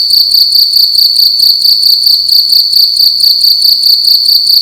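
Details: Loud cricket chirping inside a room during the night, a shrill continuous ringing broken into quick regular pulses, around one and a half per second, with nothing else audible.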